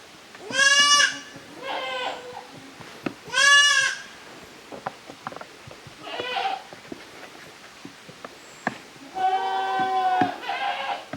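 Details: Kids of the goats Koharu and Okayu playing as two teams in the exercise yard of Yoshigake handmade goat farm, 13 June 2023; a series of loud bleats, some overlapping and quavering, spread across about eleven seconds amid scattered clicks and hoof taps.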